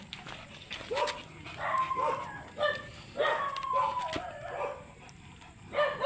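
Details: Beagle dog brought for stud service in San Carlos City, Pangasinan, giving scattered yelping barks with arching, tonal shapes, spaced irregularly over a few seconds, while people talk in the background.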